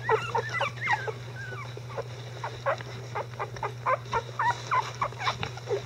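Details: Litter of Icelandic Sheepdog puppies at 11 days old, tended by the adult dogs: short, sharp squeaks and yelps repeated rapidly and unevenly, roughly four per second, against a steady low hum.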